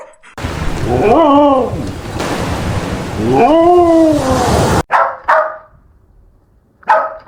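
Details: Outdoors on green grass, playing puppies make two drawn-out arching whines over a steady hiss of background noise, followed by a few short, sharp barks near the end.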